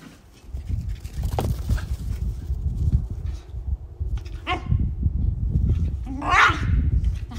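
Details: Male and female Shiba Inu playing together outdoors; a few short, sharp rising yelps and whiny cries break through a steady low rumble of wind and handling noise, with a brief human voice nearby.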